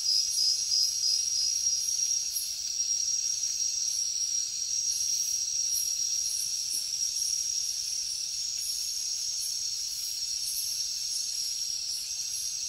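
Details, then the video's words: Insects and crickets of a night jungle: a high, ringing steady trill, pulsed at first and then smoothing into a continuous drone, with airy hissing from other insects above. "Insects sounds | Cricket sounds |Jungle night"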